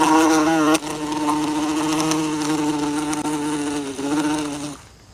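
A bee hums with a continuous, rich droning buzz, its pitch holding nearly level with small wavers and brief dips. The buzz carries for about five seconds, then trails off as the insect moves away.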